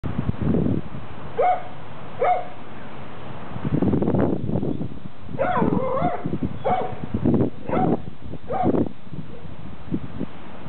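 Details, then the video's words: Dogs barking at a neighbour's dog over the fence in a backyard; short sharp barks in bursts around 1.5, 2.2 and 5.5 to 9 seconds, mixed with low rumbling and rustling noise. "Dogs bark over the fence"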